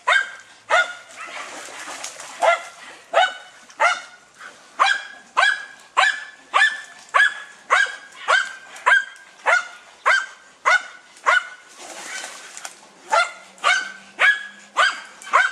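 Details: German Hunting Terrier Dunja barks persistently at a wild boar: a long, strongly rhythmic series of harsh barks, close to two per second, with brief noisy bursts between them.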